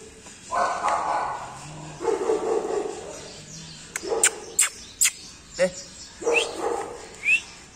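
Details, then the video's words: Golden Retriever puppies in India giving short, high yipping barks in scattered bursts, mixed with broad rustling noise and a few sharp clicks. "Golden Retriver Puppies"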